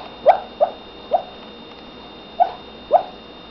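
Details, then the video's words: A female dog yips while asleep, giving five short muffled barks: three quick ones within a second, a pause, then two more close together against a quiet room. "Dog Barking in sleep"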